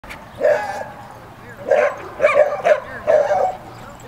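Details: Female Samoyed protecting her brother and putting another dog in his place: a handful of short, sharp, mid-pitched barks in two loose groups over four seconds.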